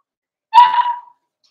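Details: Single Cavalier King Charles Spaniel puppy, one of Daisy's 4-week-old litter in their indoor pen, gives one sharp yelp that settles into a steady mid-pitched whine lasting about half a second, then silence.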